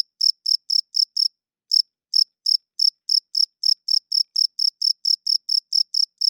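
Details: Loud nighttime cricket song of crisp, high chirps, each a quick pulse about a quarter second apart, broken by a half-second gap after the first run, then resuming evenly. No other sounds.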